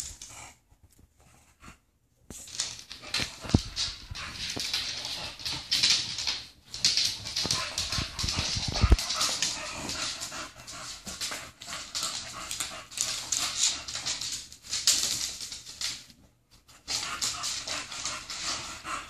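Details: English bulldogs, two females, playing inside while one wears a cone after surgery: long stretches of harsh, noisy snuffling and grunting with irregular louder bursts, broken by a few brief silences and thumps.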